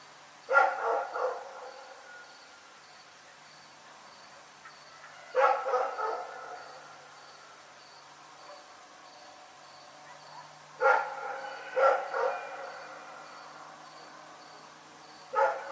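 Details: Nighttime barking from Rex, a dog, with clusters of two or three sharp barks spaced by pauses of about five seconds, over a thin constant high tone and quiet background.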